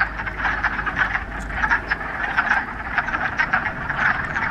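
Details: Frogs crowding a mountain pond in the Ramapo Mountains on the first warm day of spring, mid-March, after a week of rain, producing a thick, pulsing chorus of short clucking croaks that rises and falls slightly in loudness.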